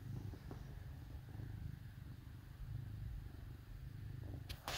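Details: Cat curled against dogs indoors on a cold Minnesota winter day, giving a continuous deep throbbing purr with a regular pulse; brief rustling bursts at the very end.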